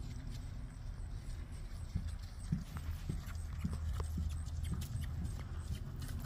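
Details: Ridden Friesian mare walking, hooves striking in an uneven clip-clop of roughly two knocks per second, sharper thuds around the middle, set against a steady low droning rumble.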